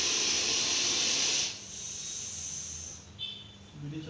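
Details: Deadly venomous Russell's viper caught in Coimbatore, giving a loud, harsh, steady breathy hiss for about one and a half seconds, then quieter background rustle with a few faint short noises.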